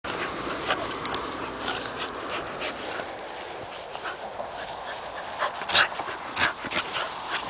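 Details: A female puppy, born to a shepherds' dog, plays with an adult dog. Breathy, panting bursts and short rough vocal snorts come in irregular flurries, with scuffling noise throughout and a few sharper yelps near the end.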